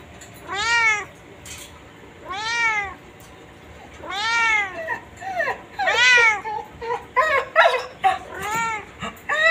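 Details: White domestic cat, kept chained, calling with a series of clear arched meows, roughly every two seconds, becoming shorter and more clustered toward the end, in a quiet setting.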